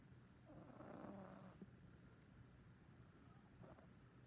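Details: Pet cat sleeping and snoring at home, filmed in early 2019: one soft, raspy snore lasting about a second, then only faint breathing and low room hiss.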